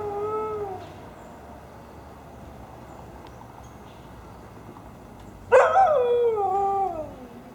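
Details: Nala, a Siberian Husky, howling at fire truck sirens on 1/10/15: a brief tonal howl opens, then quiet for about five seconds before a louder, wavering howl that slides downward and fades.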